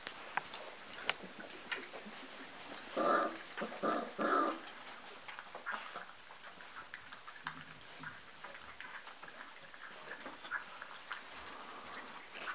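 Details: Four-and-a-half-week-old dark red Golden Retriever puppies at mealtime, climbing a ramp to their food, give three quick, high whimpering yelps, followed by soft shuffling and feeding noises.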